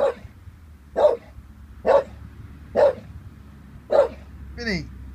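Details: Staffie Vinnie, 18 months old and harmless, uncertain about a balloon, barks five times at roughly one-second intervals; a person's voice follows the last bark.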